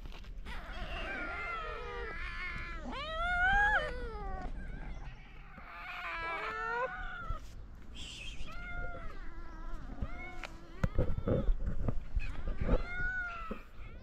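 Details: A group of stray cats in Morocco crowd their feeder, overlapping meows rising steeply then sliding down, some strained and yowling, nearly continuous, with scuffling and thuds near the end.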